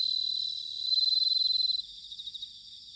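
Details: Bell cricket singing in autumn, recorded in Sanuki, Chiba, Japan: a high, bright ringing trill, pulsed and shimmering, swelling louder midway and then breaking into softer pulsed bursts that fade toward the end; no other sounds.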